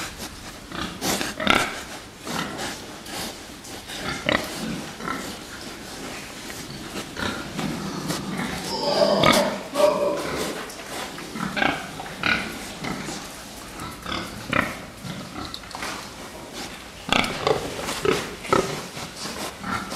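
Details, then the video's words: Fattening pigs giving short grunts and occasional squeals amid frequent knocking and clatter, one longer squeal near nine seconds. "prasata výkrm"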